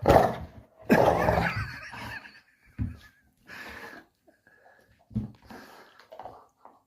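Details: Puppy at play indoors giving short yelps and whiny grunts in uneven bursts, a loud opening cry, then scattered brief squeaks and huffs with quiet gaps in a small room.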